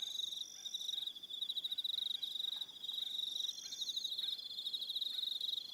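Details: On Aroha Island in New Zealand, evening crickets keep up a bright, rapidly pulsed chirring with overlapping higher trills. Faint soft clicks are scattered beneath the chorus.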